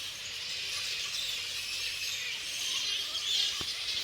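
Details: A grey-headed flying fox colony roosting in subtropical rainforest at Wingham, NSW, during breeding season fills the air with a dense wash of high, shrill chatter from huge numbers of bats.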